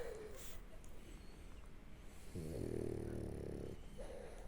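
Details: French Bulldog asleep on its back, snoring: a low rumbling snore with a steady buzzy, stacked tone lasting over a second in the middle, surrounded by soft breathing noise.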